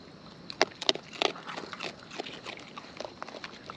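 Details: Close-up of wild raccoons eating; three sharp, loud crunches with a ringing, squeaky edge come early, then softer irregular munching and smacking continues to the end.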